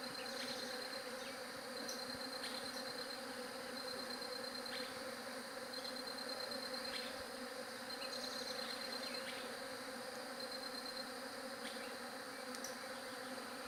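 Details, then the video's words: Bees hum in an unbroken droning buzz. Above it, a high, rapid pulsed trill comes in repeated bursts of about a second each, with occasional clicks. "SOM DE ABELHA"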